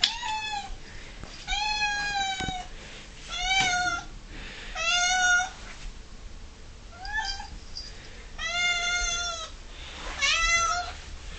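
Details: Female pet cat Ming, 11 years old, whinges constantly and aggressively for her six o'clock dinner: seven loud, drawn-out harmonic meows roughly every one and a half seconds in a quiet room.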